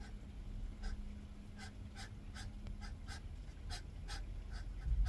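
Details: Garden hedgehogs battling over territory, giving sharp hissing puffs in an uneven series roughly every half second, with a faint low hum and background rumble underneath.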